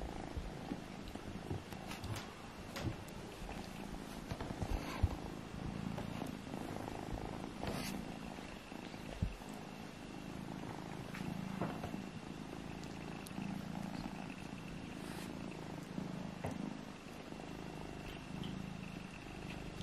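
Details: Kittens Alfonso and Amur, indoors while play-fighting to see which is strongest, with a steady low rumbling purr running throughout, broken by occasional soft clicks and faint rustling.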